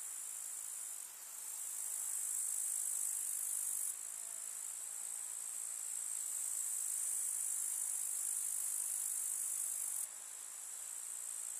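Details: A chorus of grasshoppers in a summer meadow keeps up an unbroken, piercing, high buzzing trill, briefly quieter at the start and after ten seconds.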